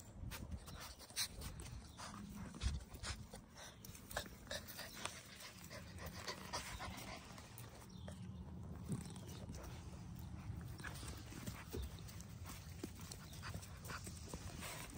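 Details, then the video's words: Puppies at play, heard quietly: soft rhythmic panting with scattered scuffling clicks and taps, a faint low hum underneath, and brief murmurs of human voices in the background. "Puppy play time"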